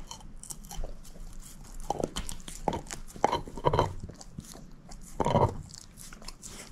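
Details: Moose, a female shepherd mix, working on a bone: uneven crunching bites roughly every couple of seconds, several louder cracking chews in the middle and one heavy crunch later, amid soft background chewing.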